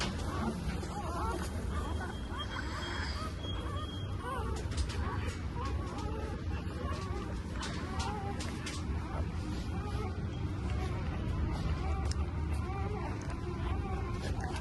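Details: Newborn Labrador Retriever puppies, four born so far to the mother dog Pari, black and off-white, at Sinnar, Nashik, Maharashtra. Thin wavering squeaks and whines repeat throughout over a man talking and a low engine hum.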